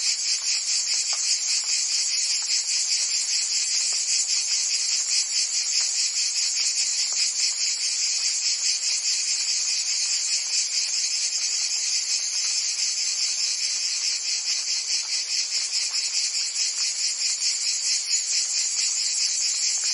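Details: Cicadas of Provence, France, singing in summer: a constant high-pitched buzzing with fine rapid throbbing, even in level from start to end, no other sounds.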